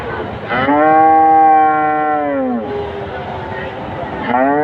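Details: A single cow calls with a loud sustained moo, level and tonal for about two seconds, sliding down at the end, with the start of another moo rising at the close.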